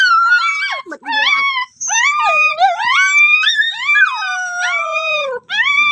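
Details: Drawn-out dog howls and whines, rising and falling with some quavering, overlap one another almost without pause; faint voices may sit in the background.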